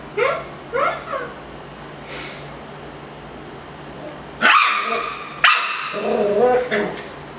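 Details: Miniature schnauzer annoyed by a Yakult pot: a few soft, voice-like sounds, then two sharp, harsh barks about a second apart followed by a rough, grumbling growl.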